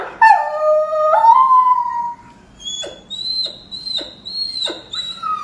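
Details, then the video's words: A Rhodesian Ridgeback, reacting to barking made by its owners, gives a drawn-out, wavering howl that dips and then rises again. "Rhodesian Ridgeback Barking. How To Make Your Dog Bark"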